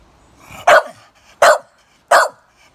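A Staffordshire Bull Terrier gives three sharp, loud barks, spaced about three-quarters of a second apart.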